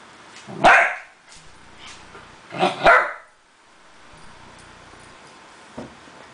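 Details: One of two miniature dachshunds playing on a red bed and kicking out its blankets gives sharp, high-pitched barks: one single yap, then a quick double bark.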